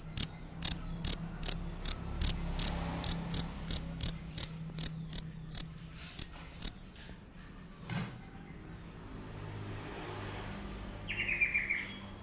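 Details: Fierce cricket calling loudly, a rapid series of sharp high chirps repeated about three times per second for seven seconds, then silence with a faint knock and a brief buzzy sweep near the end.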